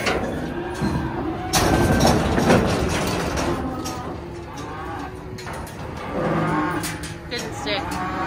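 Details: Highland cattle on a ranch, with a heifer mentioned, lowing in a long, harmonic moo early on and a fainter one later, amid loud clattering, movement noise and steady background rumble.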